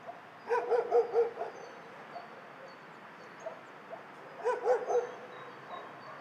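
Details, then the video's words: Shelter dogs barking in two short bursts of three or four quick, ringing barks each, a few seconds apart, with quieter scattered barks from other dogs in the background. "Tło dźwiękowe schroniska dla psów"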